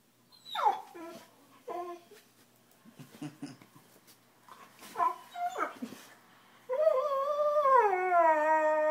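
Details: A dog cries because he thinks he is getting yelled at: short falling whimpers and yips in the first seconds, then a long, steady, wavering whine held to the end.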